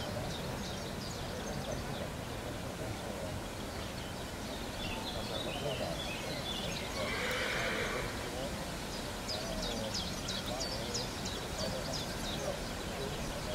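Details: Colt sired by Carantas, from the Cassiano and Leandro line: one whinny rises from the middle of the recording over steady outdoor noise, with faint bird chirps and some voices nearby.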